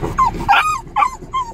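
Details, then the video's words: French bulldogs in Fort Lauderdale, Florida, May 2016, worked up after hearing they are going to the dog park: bursts of high, falling whines and squeaky yips in quick succession, with a person's voice briefly underneath at the start. "French Bulldogs Excited About the Dog Park!"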